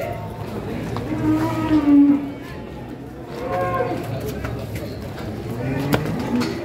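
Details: A large bovine at a busy morning cattle market gives a deep, steady moo near two seconds and a shorter rising one later. Men talk loudly throughout over a background of crowd noise.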